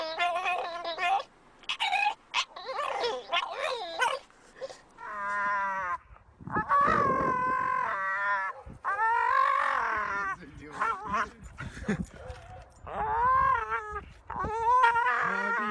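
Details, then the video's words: Pet dogs vocalizing, with a run of high harmonic whines, yelps and short barks in uneven bursts, some rising and falling howl-like cries, separated by brief quiet gaps. "Cutest Dogs Barking"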